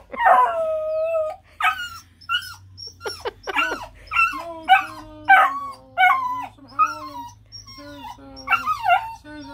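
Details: Bluetick Coonhound puppy outdoors on a pee break bursting into loud howling: drawn-out wavering bays mixed with short yips and whimpers, rising then sliding down, repeated in quick bursts with brief gaps.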